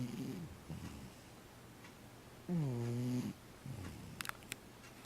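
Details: Cat snoring with low, rough breaths and one clear, deep, droning snore of under a second, then softer raspy exhales. A couple of faint clicks follow near the end.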